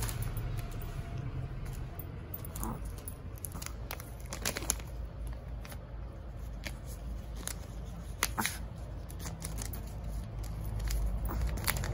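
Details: Quiet indoor room sounds with soft rustling, tapping clicks and low hum, no animal voice heard.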